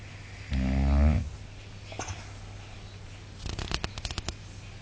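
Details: Sleeping Boxer dog snoring: one loud, low, rasping inhaled snore lasting under a second, followed by quieter rustling and a burst of clicking, tapping sounds near the end.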